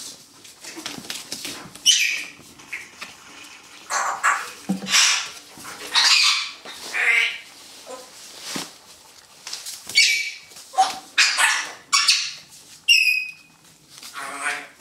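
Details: Poodle puppy in a puppy run making play invitations toward a stuffed toy, recorded 17 November 2014. Rapid high-pitched squeaks and yips come in quick bursts, some rising and squawk-like, over light scrabbling noise.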